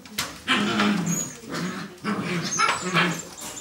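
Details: A brother and sister among nine-week-old Barbet puppies, indoors on their last evening together: rising whiny yelps and short barks in clustered bursts, some whimpering between, at a lively festive noise level.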